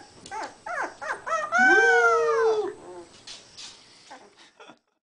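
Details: Three-week-old Beagle puppy singing: a few short yelps lead into one sustained, arching howl of about a second, then trailing soft whimpers and quiet squeaks.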